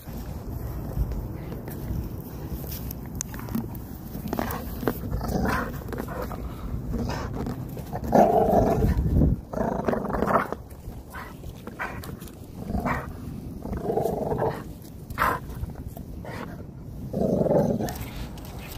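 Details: XL Pitbull working to pull a cone out of a tree: rough low growls and gruff bark bursts come in uneven clusters, loudest near the middle and end.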